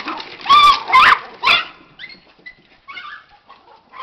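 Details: Pet Miniature Pinschers, including one named Max, get worked up by the word squirrel. Three sharp, high, ringing barks come within a second, then softer scattered yips and whines trail off.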